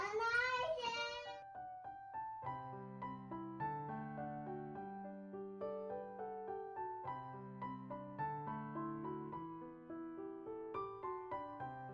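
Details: Piano music with a high sung phrase at the start, then repeated keyboard chords and melody; no animal sound.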